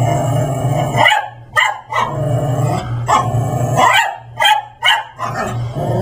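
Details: Max the Brussels Griffon, costumed as a raptor for Halloween, goes after his sister Layla, a Persian cat. Loud, harsh barks repeat irregularly about every second, with rough growling between them and a low hum behind.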